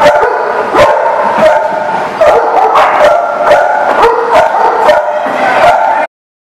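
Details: Dog barking recorded 20 July 2018, loud and nearly nonstop: short, harsh barks repeated roughly every half second to second, some overlapping as if from more than one dog.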